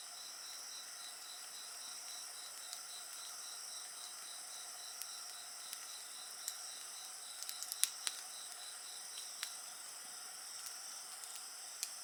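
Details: Night insect chorus next to a bonfire, a continuous high-pitched ringing drone joined by an evenly pulsed chirp, with scattered crisp crackles of burning wood, clustered near the middle.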